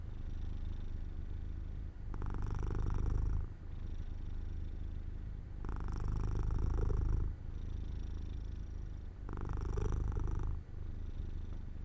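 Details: Jojo, a pet cat, purrs while falling asleep near an open window in the sunlight: a low, continuous rumbling purr that swells into louder, rougher bursts about every three and a half seconds, with quieter stretches between.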